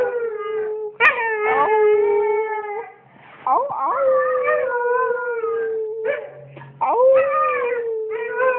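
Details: Small female pet dog howling back to her owner, who howls to get her to respond; long drawn-out tonal howls with rich overtones, steady then sliding, in three long phrases separated by brief pauses.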